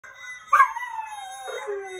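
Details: A Vizsla puppy gives a long, wavering howl that slides slowly downward in pitch, howling at a video of his own howling.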